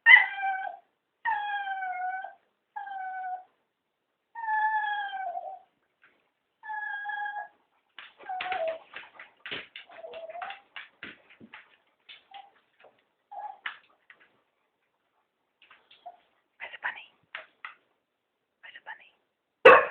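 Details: Cocker Spaniels, three of them, pleading for a walk with a run of long, even, tonal whines that dip and level off. These give way to a scatter of shorter yelps and clicks, then a final loud burst.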